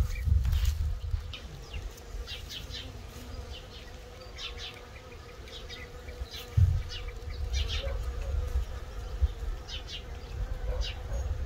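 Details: Scout honey bees at a swarm trap, a 12-frame Layens hive fitted with six frames including old drawn comb with a little capped honey: steady low droning hum with passing buzzes, small birds chirping throughout and a few bumps.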